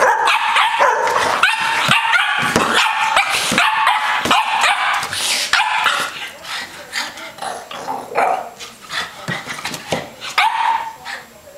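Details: Boston terrier annoying a Bernese mountain dog, two dogs that get along well; a flurry of sharp, high yapping barks and growly play noises, dense at first, then thinning into scattered yips with a little speech.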